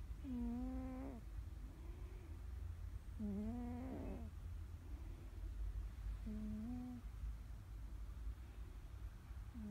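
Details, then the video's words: Domestic cat napping down under, snoring loudly: drawn-out tonal snores with a nasal, wavering whine, about one second each and repeating roughly every three seconds, over a steady low rumble. "World's loudest cat snoring"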